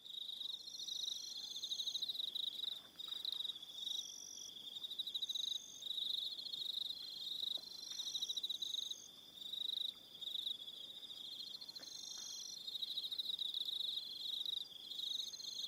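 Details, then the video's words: An evening cricket chorus on Aroha Island, New Zealand: continuous shrill pulsed trills from several insects, swelling and pausing in phrases of a few seconds, with brief clicks in the background. "Relaxing Evening Sound of Crickets"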